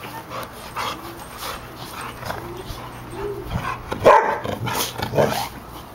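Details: A pet shih-tzu and golden retrievers at play: soft whines and small yips early on, then a sharp louder bark cluster past the midpoint, followed by scattered quieter barks against a constant low hum.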